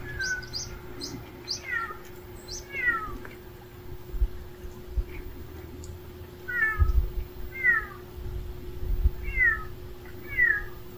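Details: Hungry stray cat meowing: a series of about eight short, falling, two-note meows spaced roughly a second apart, some paired, over a low rumbling background and a thin steady hum, with faint high chirps early on.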